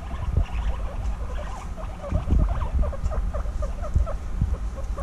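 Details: Two female guinea pigs bonding intensely after being reunited following six months apart: quick, repeated short squeaks rise in a steady run across the whole stretch, over low thumping and rustling as they move around.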